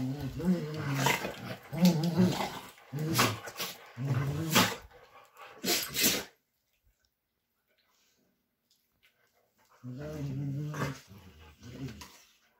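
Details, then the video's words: Bluetick Coonhounds growling while playing together indoors: deep, rumbling, wavering growls in uneven bursts for about six seconds, a silent gap of several seconds, then another stretch of low growling with snorts. "Bluetick Coonhounds playing"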